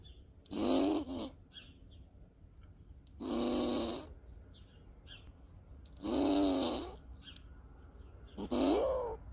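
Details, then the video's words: An angry Eichhörnchen (squirrel) giving four harsh, drawn-out calls, each under a second long, with a low tonal core and a raspy, noisy edge, spaced about every two and a half seconds over quiet background hiss. "Eichhörnchen ist sauer"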